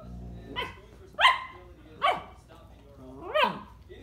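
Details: Young German Shepherd Dog, a puppy eager to play, gives four separate high yelping barks spaced roughly a second apart, each bright and falling in pitch, the last one longer with a rising then falling tone.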